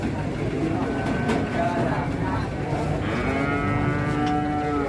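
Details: Pegon cattle, giant animals at a crowded cattle market in Indonesia, give a drawn-out moo that swells and rises slightly in the final two seconds, layered over dense background chatter, engine rumble and general market din.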